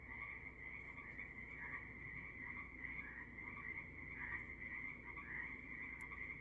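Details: Many frogs croak through the evening on Canada's Sunshine Coast, forming an unbroken trilling wall of sound with rippling rises and dips, and a brief sharp tick near the end.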